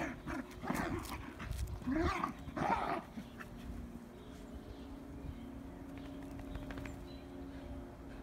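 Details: Irish Terrier outdoors in spring giving a few short, sharp barks and yips in the first three seconds, then quiet background hum with faint distant sounds.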